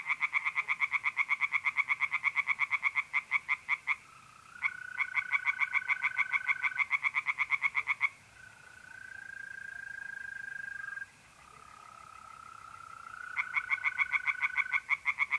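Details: Night chorus of tree frogs in a north-east Italian pond in mid-April, loud, quick rattling pulse trains broken by quieter spells where mole crickets' smooth, steady trills take over, then the frogs resume.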